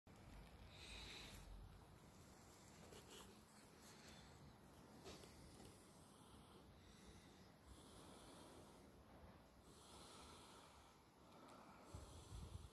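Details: Buba, an American Staffordshire Terrier, sleeps beside a best friend, snoring in a steady, rough, breathy rumble that barely pauses, with broad hissing noise across the recording.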